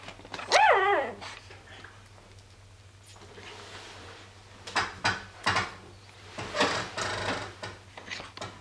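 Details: Day-old Dobermann puppy, a little girl from Tessa's litter of eight, barking indoors on the day of birth: one high, arching yelp, then softer rustles and faint squeaks while the room stays quiet apart from a steady low hum.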